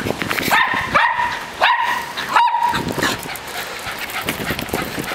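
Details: Dog playing with a ball, giving four sharp, tonal barks in the first two and a half seconds, then quieter scuffling and movement noise.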